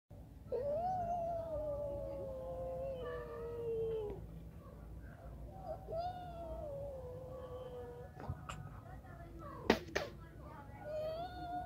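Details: Kittens giving long, drawn-out meows that hold steady and slowly fall, the first lasting about three and a half seconds and a second starting near six seconds, followed by shorter mews, a few sharp clicks and a low background hum.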